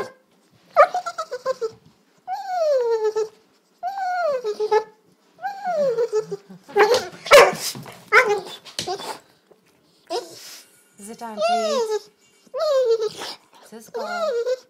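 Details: At dinner time, a dog makes its regular funny noises: a series of drawn-out, wavering, yodel-like howls. Each one bends upward and then sinks, in bursts of about a second with short pauses between, and some are rougher and more strained.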